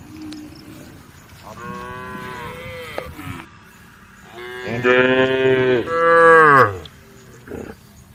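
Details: Cows calling the herd on a road: a moderate moo, then a loud, long bellow and a second strong drawn-out call that slides downward, over faint background noise.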